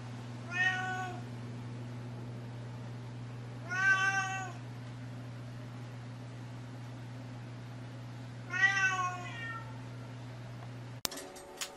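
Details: Persian cat indoors meowing three times, short and plaintive, spaced a few seconds apart, against a constant low electrical hum, ending with a sharp click.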